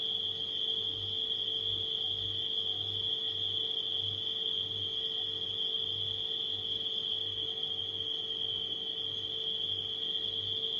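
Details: Steady shrill chorus of nighttime crickets, a constant high whine with no pauses, layered over the low rhythmic pulsing drone of a refrigerator motor.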